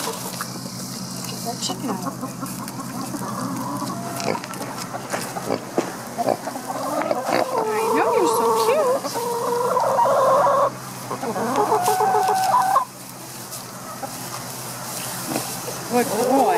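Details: Neil the pig building a nest so he has somewhere comfy to sleep: a run of tonal, whining squeals in stacked bursts through the middle, between scattered clicks and rustling noises, quieter shuffling toward the end.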